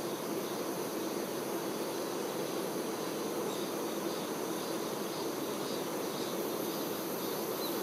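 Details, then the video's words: Honey bee workers tending their queen: a steady, dense buzzing hum from many bees, unbroken throughout, with faint high hiss above. "Nature ASMR-honey bee"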